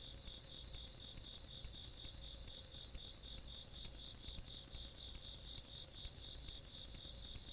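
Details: Night insect sounds from the countryside, 17 August 2022: high rapid chirping in runs with short gaps, backed by a continuous buzzing trill and soft low rumble.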